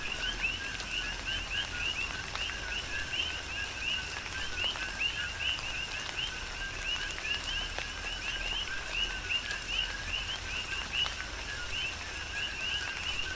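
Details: Many coqui frogs calling together in a tropical rain shower, Big Island, Hawaii; continuous overlapping two-tone chirps, low then high, with a steady wash of rain and intermittent raindrop clicks.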